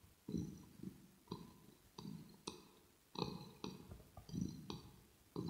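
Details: Close-miked ear-to-ear ASMR of Rosetta the kitten purring indoors, with goodie smacking and fur grooming; deep rumbling pulses come in uneven breaths, broken by sharp clicks and mouth smacks.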